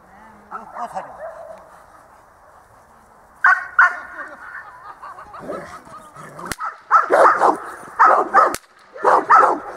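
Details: Dog training at a dog school in December 2013; after quiet talk, a run of loud barks starts, then dense rapid barking with sharp claps or clicks toward the end.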